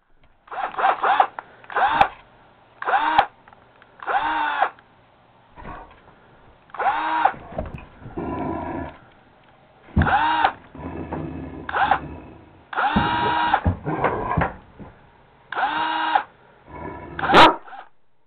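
A Great Dane gives a string of deep, harmonic barks and yowls, frightened by a power drill.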